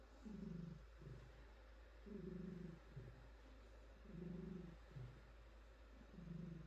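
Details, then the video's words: Petted female cat purring contentedly, regular low rumbling phrases alternating with short quieter breaths roughly every second, about four strong swells, deep and steady. "Cat Purring"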